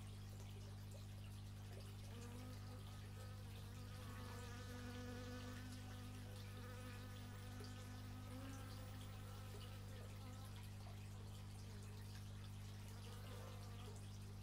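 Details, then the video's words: Bees captured on an x/y stereo microphone, their dense, continuous droning hum broken by gliding buzz tones that swell and fade as bees circle close, steady throughout. "Bee movie but its just bees, and not the movie"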